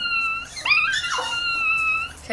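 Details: Female Chihuahua puppy, three weeks old, howling indoors at a distant ambulance siren: long, steady, high-pitched wailing tones broken by a short wavering squeal in the middle, with a woman's voice faintly nearby.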